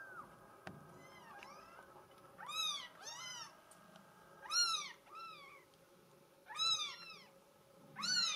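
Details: Mink solid Bengal kitten, female, giving repeated high mews, rising then falling, about every two seconds in irregular bursts, with rich harmonics; quiet indoor background.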